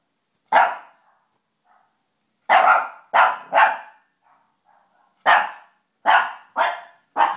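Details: Noisy puppy barking in sharp, harsh bursts: a single bark, a pause, then groups of three and four, about eight barks in all, each short and loud with quiet gaps between.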